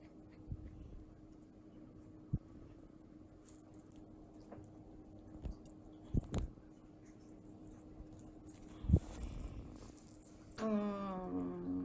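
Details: Fennec fox kit about two months old, an affectionate baby kept indoors, gives a short, strained whining cry with stacked harmonics near the end, after scattered soft taps and clicks in a quiet room.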